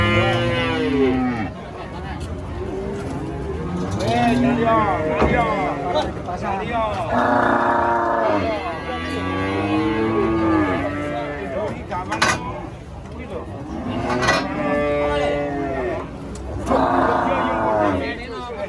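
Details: Giant cow, a female, raging while being loaded under a tree said to be haunted; repeated drawn-out harmonic moos, some long and wavering, overlap with shouting voices and handling noise throughout.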